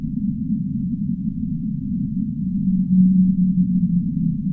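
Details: Deep rumbling underwater noise, then a clear low whale moan swelling in near the end and held steadily for over a second before fading.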